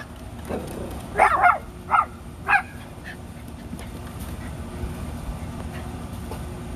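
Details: Two Rat Terrier siblings, Bandit and Jewel, at play in their back yard give a quick burst of four sharp barks, two close together then two spaced, before quiet outdoor hum returns.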